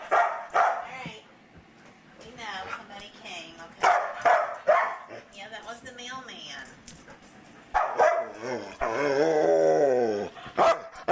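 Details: Luca, a chatty foster dog, barking in scattered bursts mixed with a person talking, then a long wavering howl-like yowl near the end, indoors around Christmas.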